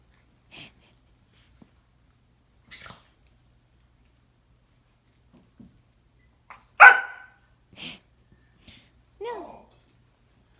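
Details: A 10-month-old Boxer–Labrador mix plays with a smaller terrier-mix dog on a snowy day. He gives scattered soft grunts, one sharp bark at her and a falling whine, with people talking nearby.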